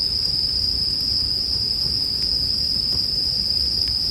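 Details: Bell crickets sing as a sleep soundtrack beside a campfire: one steady, high, ringing tone holds without a break, while a faint crackle of burning wood ticks softly underneath.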